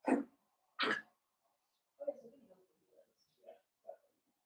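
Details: Blenheim Cavalier King Charles Spaniel puppies, a litter of five born on New Year's, playing with their mother indoors in a puppy pen: two sharp yips, then soft growly grumbles and short whines.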